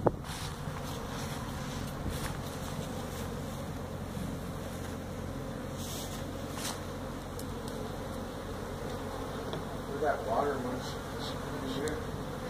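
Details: Feral honey bee colony that built its hive inside a tractor tire, in a tire stack at a citrus orchard in Mission, Texas, during hive removal: a steady low droning hum with scattered sharp knocks and a brief louder swell near the end.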